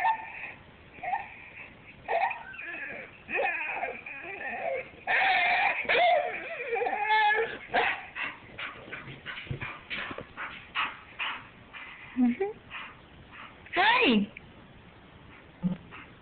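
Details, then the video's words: A bull terrier that its owner says sings for them makes drawn-out, wavering yowls and yips that rise and fall like singing. "singing bull terrier"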